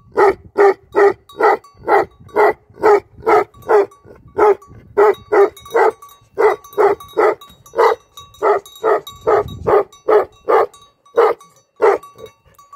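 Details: Livestock guardian dog with a shepherd, barking steadily in loud, evenly spaced woofs, roughly two to three per second, with brief pauses near four and six seconds; a faint steady tone runs underneath.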